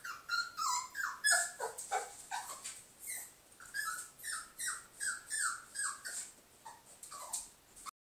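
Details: Pet dog barking at her reflection, producing a steady string of high, downward-sliding yelps and whines, roughly one and a half per second, in a small indoor room.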